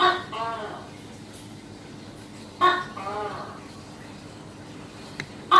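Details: A tokay gecko gives loud, throaty barking notes, two calls a couple of seconds apart, filmed close up while hunting prey.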